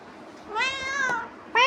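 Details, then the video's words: A house cat meowing while pestering its owner, having come back from roaming; one long drawn-out meow with rich harmonics that rises slightly then falls, followed by the start of a second meow. "Billi bhut paresan kr rahi h #meowwww"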